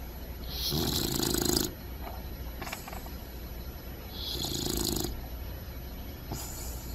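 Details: Puppy snoring in its sleep with two long, raspy, buzzing breaths roughly three seconds apart, plus a brief snort, over a steady low hum.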